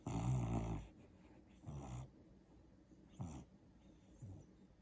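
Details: Pet dog Daisy snoring and dreaming while sleeping on the couch: a long low rasping snore at the start, then softer snorts spaced about a second apart, fading toward the end.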